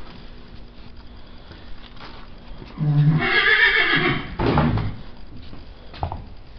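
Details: Six-year-old Missouri Fox Trotter mare being saddled indoors after a long time out at pasture, letting out a loud shaky whinny of about two seconds, then a shorter burst, with rustling and handling noises around.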